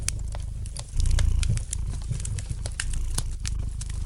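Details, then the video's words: Domestic cat purring near a crackling fire. A low, continuous rumble grows louder for a moment around the first second, then settles, while the burning logs give frequent bright clicks and pops throughout. "Relax to the gentle purring of the cat and the light crackling of the fire in the fireplace!"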